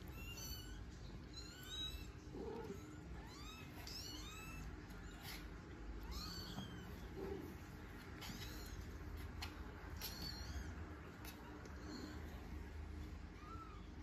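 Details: Three Norwegian Forest Cat kittens with mother Sophie, mewing almost constantly: high, arching squeaks overlap one another every second or so, with a few deeper, longer cries, over a faint low background hum.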